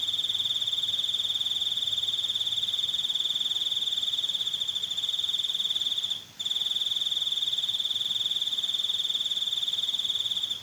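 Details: Crickets chirping in a steady, high-pitched trill that pulses rapidly and continuously, with a brief break near the middle; a faint low hum underneath.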